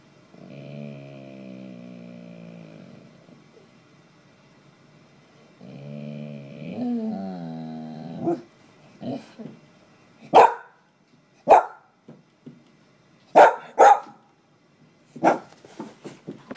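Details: A Bull Terrier, Troy, wakes its owner in the morning with long, drawn-out moaning whines, then sharp, abrupt barks.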